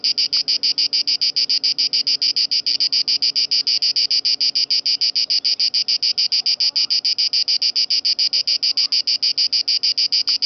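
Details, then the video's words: Italian cicada singing at Lake Garda; a loud, steady buzzing song of rapid, evenly spaced pulses, about three to four per second, continuing without pause throughout. "Italian cicada in (gardasee)"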